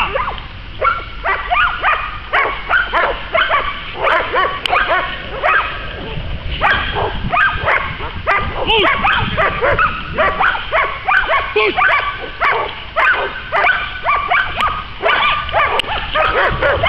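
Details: American Staffordshire Terrier during dog training at the START stadium in Poland, giving loud, sharp barks in rapid bursts, roughly two or three a second, throughout, with outdoor background noise.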